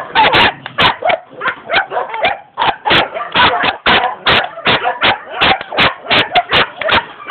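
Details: Young German Shepherd dog in Jamaica barking in rapid bursts, sharp short barks tumbling over one another with brief gaps, roughly two to three per second for seven seconds.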